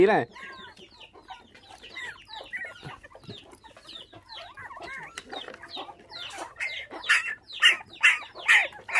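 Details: Five orphaned puppies whose mother was taken by dog thieves when they were six days old, now bottle-fed with milk, squeak in rapid, uneven high whimpers that grow louder and denser toward the end, with a brief human voice at the start.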